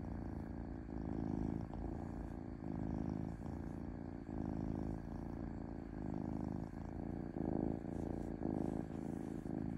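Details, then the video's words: A house cat's gentle purring, throaty low vibration rising and falling in regular in-and-out cycles, unbroken for the whole stretch, quiet and close. "5H of Cat Purring Smoothly"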